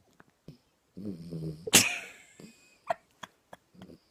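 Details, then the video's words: A small dog snoring indoors: a rough, low rattling breath followed by a sharp, loud snort, then a few soft clicks and short breathy sounds. "Собачка Храпит"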